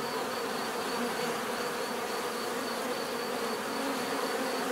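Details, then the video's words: Steady natural bee buzzing, a dense hum of many wings at low-middle pitch with a thin high tone on top, continuous and level throughout. "bees therapy relaxing natural buzzing sound"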